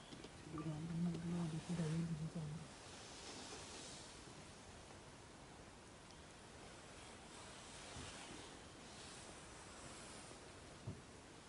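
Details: A Bengal tigress in Corbett National Park gives a low, moaning call lasting about two seconds to summon her cubs.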